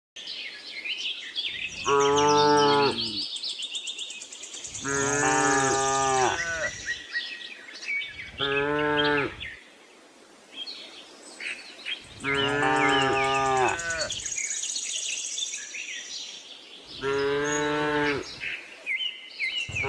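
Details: Tame herd of cows roaming a cattle farm looking for fresh grass; five loud, drawn-out harmonic moos, each one to two seconds long, with bird chirps and twittering above them between calls.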